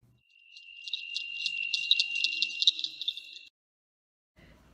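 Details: Northern cricket frog of Western North Carolina giving a rapid series of sharp, high clicks, about four per second, over a steady thin high hum. The clicks end abruptly.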